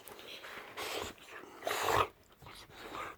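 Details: Morning wake-up from a pet Boxer, Layla, pestering her owner in a small room; short whimpering, grumbly bursts, the loudest near the middle, separated by brief pauses, with commands to sit nearby.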